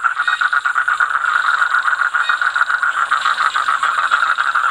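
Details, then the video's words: Toad calling with a steady, fast-pulsed trill held without break for the whole stretch, a buzzy mid-high tone of even pitch and loudness. "Toad voice"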